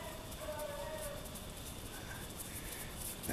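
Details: Daisy, a dog hunting rabbits in a snowy back yard in Maine, gives a distant, drawn-out harmonic bay lasting under a second, then fades; faint rustling and a sharp click close the stretch.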